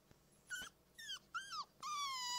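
Wolf pups give short, high, wavering howls, the last one drawn out and slowly falling.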